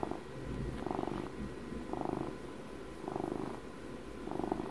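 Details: Domestic cat, twelve years old, purring steadily at close range indoors; the rumbling rises and fades in about four slow breath cycles, a deep continuous vibration with gentle louder surges.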